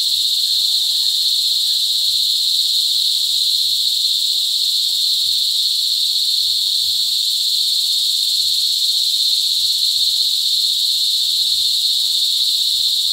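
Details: Cicadas mating during cicada season at Sitio Bagumbayan, Brgy. Balabag, La Carlota City, Negros Occidental, recorded close on July 18, 2020. A loud, unbroken, high buzzing drone holds steady throughout, with faint low thumps beneath.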